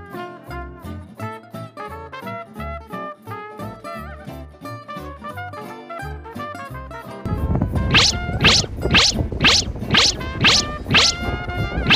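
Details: Upbeat swing-style brass music plays, growing louder and busier with bright repeated accents in the second half.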